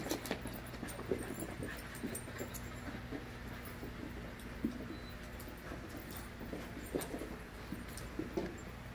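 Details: A group of five-month-old puppies at play: rough, broadband growling and scuffle bursts repeat irregularly for about nine seconds over a constant low hum, with a few sharper yips scattered between them.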